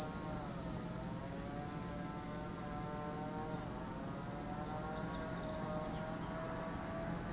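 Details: Shrill, unwavering buzz of many cicadas at Lake Kamo, Sado City, Niigata Prefecture, Japan; the high drone dominates while faint gliding low tones, possibly an engine, sound beneath.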